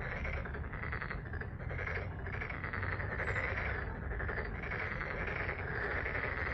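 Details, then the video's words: A dense chorus of frogs at Deokjin Park pond in Jeonju, Korea, a continuous rattling trill with a steady low rumble beneath. "덕진공원 개구리 소리 ASMR"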